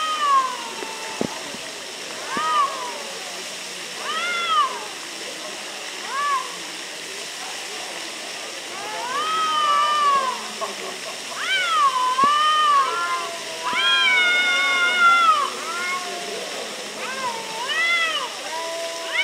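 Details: Near Antalya, Turkey, two quarrelling cats exchange loud arching yowls and meows, growing denser and overlapping in the second half, with rapid back-and-forth cries over constant background hiss.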